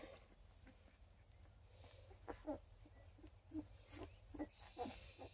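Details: Twelve-day-old Redtick Coonhound x Black and Tan Coonhound cross puppies from a litter of eleven, near Kingston, Ontario, Canada, give faint, short squeaky whimpers in scattered bursts in the second half, with low background rumble.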